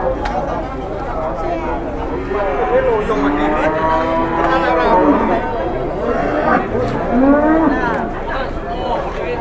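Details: An 826 kg cow in Indonesia gives a long, low, droning moo midway through, with several people's overlapping conversation running steadily around it.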